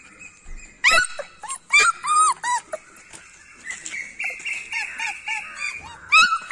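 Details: Beagle dog giving sharp, high yelping whimpers in quick bursts, each with a bent, falling tone, then a long steady whine in the middle before more short yelps at the end.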